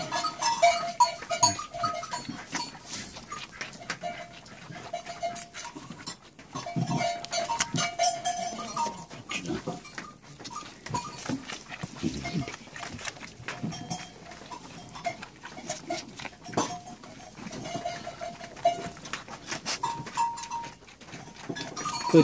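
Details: Goats during hand milking, their milk later bottle-fed to an orphaned lamb; intermittent short nasal bleats rise over steady handling and rustling noises.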